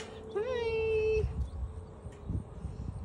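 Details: Axle, a Great Pyrenees livestock guardian dog and soon-to-be father, says hi on 10/11/22 when prompted by his owner: one drawn-out, tonal whine-like 'talk' that rises briefly, then holds a steady pitch for about a second before quiet rustling.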